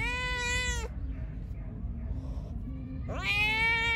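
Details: Hungry, angry pregnant stray cat that attacked the person feeding it gives two long, strained meows: the first held level and cut off, the second sliding upward, over a steady low outdoor rumble.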